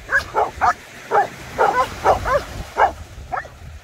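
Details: Maremmano-Abruzzese Sheepdog playing with a Golden Retriever, Black Sea. A quick series of short, yelping barks and yips, about two per second, uneven in spacing, over a low background rumble.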